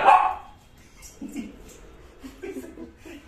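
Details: Shih Tzu asking to play gives one short bark at the start, followed by quiet speech and faint household noises.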